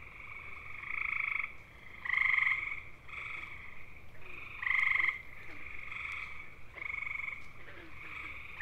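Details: Gray tree frog (Hyla versicolor) mating chorus: short loud trills around two and five seconds, many fainter overlapping trills repeated steadily throughout, from males that can keep calling for hours to find a mate.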